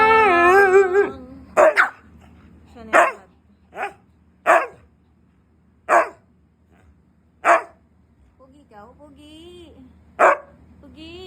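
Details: Siberian husky angry when not given treats: a falling howl-like whine opens, followed by a run of about nine short, sharp barks spaced one to two seconds apart, with faint whining between.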